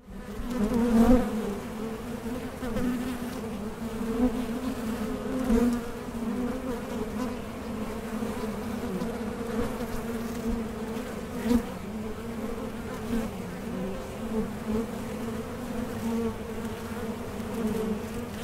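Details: Honey bees at a Mason jar honey super in small-scale beekeeping, a steady low hum of many wingbeats with a strong drone band and overtone above, swelling and fading slightly, occasional louder passing bees.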